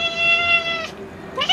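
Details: Kaiku, a rescued female cat, begs for more potato with a long level meow of nearly a second, then a short pause before a second meow begins with a rising start. A quiet room with Hindi speech nearby.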